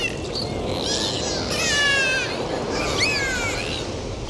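Dolphins whistle in wavering, sliding tones over a steady underwater hiss.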